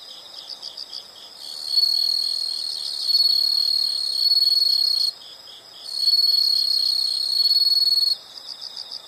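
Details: Insect sounds open with soft, rapid pulsed chirps before two sustained, piercing high trills of three to four seconds each, with a short pause between them.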